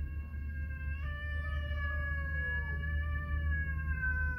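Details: Two pet cats 'talking' indoors while their food is being prepared: a long, drawn-out harmonic meow that wavers and slowly falls in pitch over about four seconds, over a steady low household hum.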